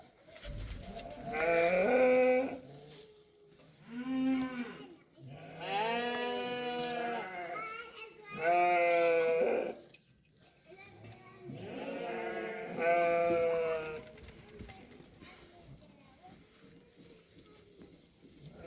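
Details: Sheep in the desert steppe on the day a ewe gave birth to a new lamb, with care given after lambing: a series of long, wavering, harmonic bleats at a few-second intervals, with brief human speech between them.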